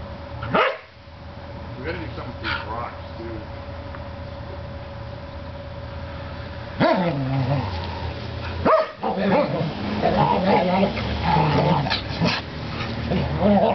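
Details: Two Norwegian Elkhounds, Quinn and Toby, horse around roughly in a back yard after a bath; sharp barks burst out now and then, with growly play noises late on, over a person talking and some music.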